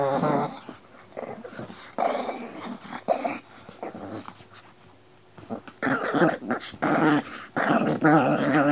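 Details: Dogs Pino and Choro growling indoors; short rough growls early, a quiet stretch with clicks and knocks, then longer snarling growls in the final three seconds.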